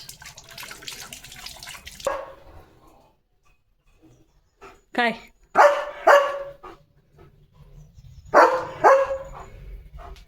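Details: German Shepherd named Leo romping with his owner in rural Indian fields; after a burst of rustling noise, a rising whine followed by two pairs of sharp, full barks, each pair spaced about half a second, with quiet gaps between.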